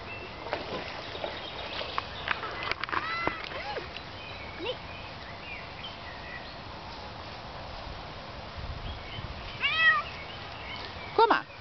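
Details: Female Bengal cat out on an evening walk alongside dogs, outdoors: a few short rising-falling meows early, then clearer, louder arched meows near the end, over steady outdoor background hiss.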